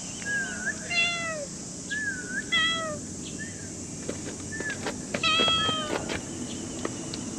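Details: A cat meowing repeatedly, about seven short, clear, harmonic-rich meows, some curving down and others rising then falling, spaced roughly a second apart, with faint clicks and light outdoor background noise between calls.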